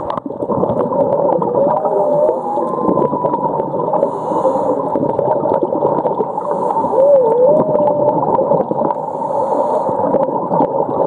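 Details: Whale recorded underwater at Ningaloo Reef off north-west Western Australia, a winter migration route; a wavering tonal call bends up and down midway through, set against a dense, steady wash of underwater noise.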